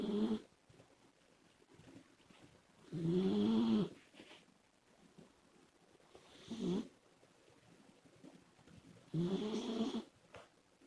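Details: Snoring of Komachi, a female Labrador Retriever, as a sleeping puppy: four drawn-out, groaning snores about three seconds apart, each a buzzy, wavering tone that dips and rises. Only quiet breathing lies between them.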